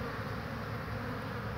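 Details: Spring honey bees, 22 March 2019, coming back loaded with pollen; dense, even buzzing of several insects in flight, a continuous low hum with no pauses.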